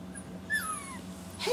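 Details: Four-week-old Standard Poodle puppies in the morning, just fed after a potty break outside. A thin, high whimper slides downward, and a short squeak follows at the end over a steady low hum.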